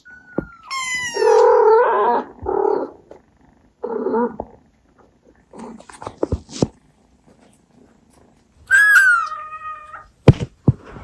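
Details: Abyssinian mother cat with her kittens, making baby-talk calls: a falling chirp, then a cluster of warbling mid-pitched meows, soft clicks and rustles, and a clear rising-then-level meow near the end.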